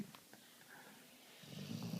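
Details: A sleeping Vizsla puppy snores softly, with a low, rumbling breath that swells near the end.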